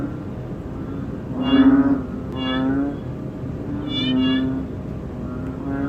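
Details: Banded bullfrog seen close up, calling: a steady low droning tone with repeated louder, nasal, moaning swells about every second or so, over a constant background hum.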